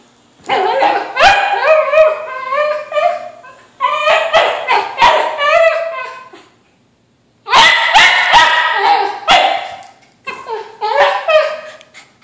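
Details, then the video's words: Kimchee, a whippet mix at home, desperate for a balloon and play-wrestling with his brother Rocky; rapid strings of high yipping barks and whines in long bursts separated by brief silences. "Dog wants balloon, Dog's brother wants quiet"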